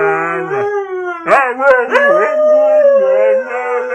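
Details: Short run of husky vocalising: a steady howl, then choppy yips and slides before a long, level, slightly wobbling tone that dips lower at the end.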